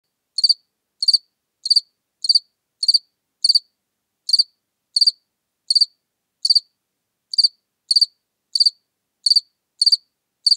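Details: House cricket in Seewiesen, Germany, recorded 4 January 2021: short high chirps with a strong tone and upper harmonics, repeated roughly every half second to second with brief irregular gaps; no other sounds.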